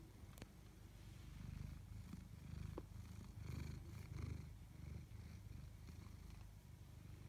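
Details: Tabby cat, Chloe or Koda, purring in rhythmic surges: a deep vibrating rumble that rises and falls roughly every second, with a sharp click early on and light rustles near the middle.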